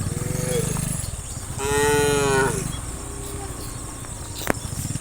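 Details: Dozens of tame cows running and jumping down a hill in a line. A short moo comes first, then a louder, long, drawn-out harmonic moo at mid-clip. A steady low rumbling runs underneath throughout.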